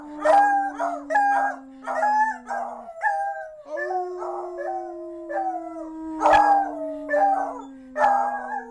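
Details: Ramsay and Sarah, two beagles, bay in choppy, wavering howls, some rising and bending, answering each other over a sustained low droning tone that briefly breaks and resumes.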